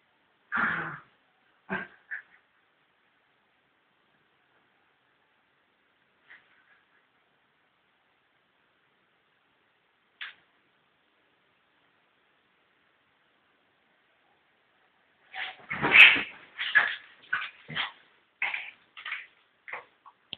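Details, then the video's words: Fox terrier fighting with a cat, a few isolated barks at the start, long quiet stretches with faint sounds, then a dense burst of rapid barks and yelps in the final five seconds. "Cat & Dog fight"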